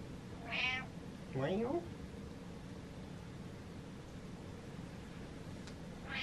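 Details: Domestic cat at home letting out a single short rising-and-falling meow, preceded by a brief high voice-like sound, then quiet room noise.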